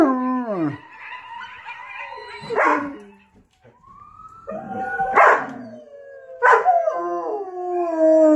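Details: Dog gives falling and rising howls broken by sharp yelps and barks, with quieter gaps between the louder bursts.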